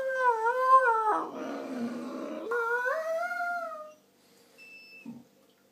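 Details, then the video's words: A German Shorthaired Pointer "talks" in the morning indoors: two long, wavering whine-howls, the first rising and falling, the second climbing steadily. A lower grumble comes between them, then a brief soft sound near the end. "German Short Haired Pointer Talking"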